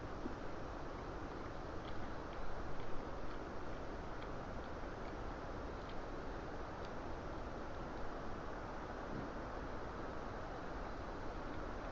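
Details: Steady low rumble and broadband hiss throughout, with a few faint ticks and no animal voice.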